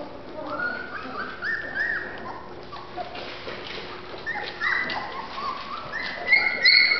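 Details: Golden Retriever puppies from Terrell, Texas give scattered high whining whimpers and short yips, some rising and falling, with soft rustling in between and louder squeals near the end.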